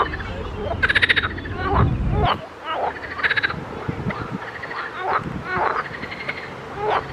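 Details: Pond frogs chorusing: loud pulsed croaking bursts alternate with softer, lower croaks from other frogs, in an irregular overlapping rhythm, with a low rumble of wind early on.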